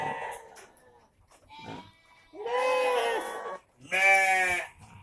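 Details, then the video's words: Goats kept in a shed, calling at about half past five before their evening feed: two loud, drawn-out, quavering bleats in the second half, the last one strongest, with faint rustling before them. "Asap rumput menyembuhkan kambing batuk"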